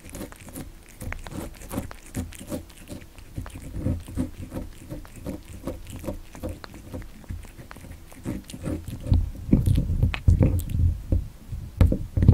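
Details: Cat born December 29, 2019 eating cat candy, close-miked ASMR: steady soft smacking and chewing about two to three per second, growing louder and denser in the last few seconds, over a low hum.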